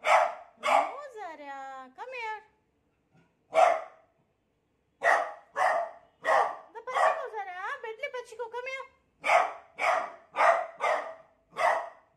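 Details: A beagle, frightened by a new cot, barks in short sharp bursts indoors, twice breaking into wavering, yodelling howls that rise and fall before the barking resumes in a quick series.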